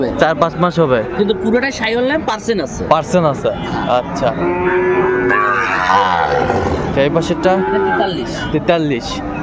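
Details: Small bull calves bought by a Comilla farmer at a Bangladeshi cattle market on 6 January 2025 moo repeatedly in drawn-out, bending calls over steady market chatter and speech.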